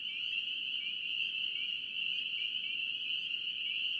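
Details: Chorus of spring peepers from North Carolina, a continuous shrill wall of high peeps blending together, individual rising slurs flickering through the constant ringing; nothing else clearly heard.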